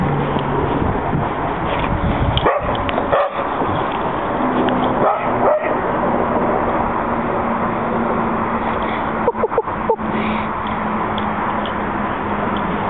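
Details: Alex and Benny, two happy dogs, play chase in the back yard after a walk. Scattered barks come in bursts: a pair early on, another near the middle, then a quick cluster of three toward the end, over constant background rumble.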